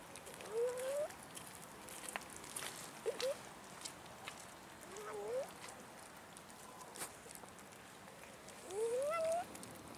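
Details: Abandoned park cats begging for food utter four drawn-out, rising meows spread across the stretch, each a plaintive upward slide, with faint background hiss and a few small clicks.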